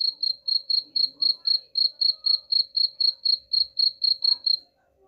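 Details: Chirping cricket, sound meant to repel rats: sharp, high chirps pulsing about four per second for nearly five seconds, then stopping abruptly, leaving near silence with a faint low hum.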